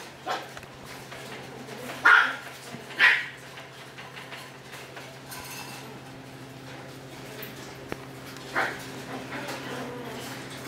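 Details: A Maltese named Misty lets out a few sharp, high yips spaced a second or more apart, with a longer pause before a final yelp near the end, against a quiet indoor background.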